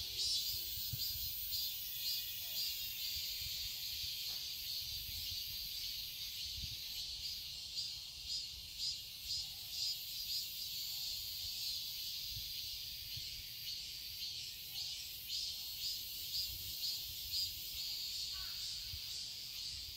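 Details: Summer cicadas in a quiet garden in Seoul, Korea, produce a dense, high-pitched shimmering buzz that swells in short pulses about twice per second over a continuous hiss.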